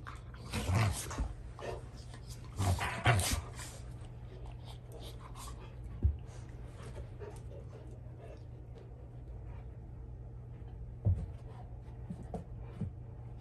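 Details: Indoors, Rottweilers dispute a toy as the older dogs put young Junior in his place; sharp, loud growl-barks burst in the first few seconds, then quieter panting and occasional thuds before a person speaks.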